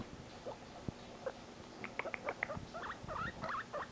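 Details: A male guinea pig kept as a pet, squeaking when separated from his companion; scattered soft squeaks build into a dense burst of higher, rising chirpy squeaks about three per second, over light rustling.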